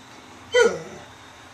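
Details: A Weimaraner lets out a single short, sharp bark that drops in pitch, demanding attention when ignored; the owner suggests it is thirsty.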